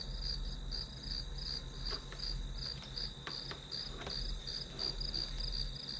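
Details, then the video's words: High, evenly pulsed insect chirps ride above a constant shrill tone, with a low rumble beneath and several sharp taps or clicks scattered through the middle. "풀벌레 소리"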